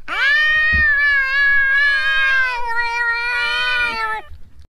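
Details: A cat gives one long, loud, drawn-out meow, richly harmonic and wavering, lasting over four seconds with slight pitch dips and a fading end; a brief low thump sounds near the start.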